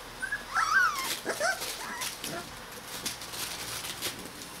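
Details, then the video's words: Rottweiler puppies from a litter aged 21 days give high, thin whimpering squeals that bend up and down over the first second and a half, then fade into soft rustling and faint background noise. "Rottweiler vom Zauberwald E-Wurf 21 Tage"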